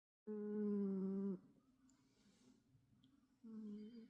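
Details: A sleeping cat snores: a steady, low, droning tonal snore lasts about a second, quiet breathing follows for two seconds, then a shorter, softer snore of the same pitch returns.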